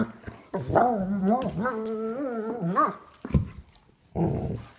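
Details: Sable German Shepherds at play indoors, three-year-old Duke with nine-week-old puppy Havok, their first play without a toy: a wavering, moaning growl rises and falls for about two seconds, then short huffs and a final grumble.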